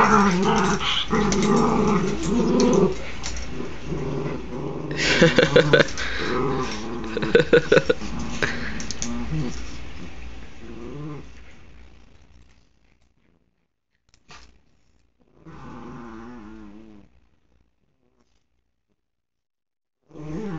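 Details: Oscar and another dog wrestling in play, filmed with an Android phone. Dense growls and whiny, wavering snarls fill the first twelve seconds before quiet, then a short moaning growl returns near sixteen seconds.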